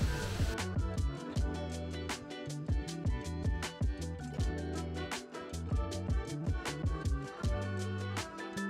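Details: Rhythmic music with heavy bass and regular drum hits plays throughout, with no animal sounds. Guitar-like tones sit above the bass line, and no voices or natural sounds break through.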